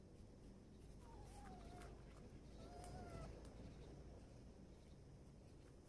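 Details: Stray cats, a mother and her kitten, trying to survive on the street; two drawn-out, falling meows about a second and a half apart, each sliding downward, over a steady low outdoor rumble with faint chirps.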